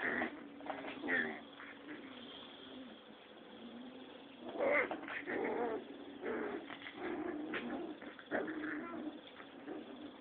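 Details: Six-week-old Rottweiler puppies play-fighting indoors, giving bursts of rough growls and short yelping squeals that come and go every second or two, separated by quieter gaps over a steady background hum.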